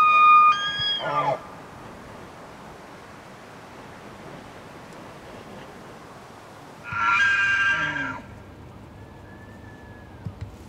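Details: A large bull elk in Canada's Rockies in early rutting season gives a high, whistled bugle that rises and wavers, a pause, then a rougher bugle trailing into deep, rapid chuckling grunts.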